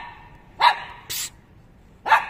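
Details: English Cocker Spaniel puppy named Robby, described as barking non-stop when young: three short, sharp barks about half a second apart against a quiet background.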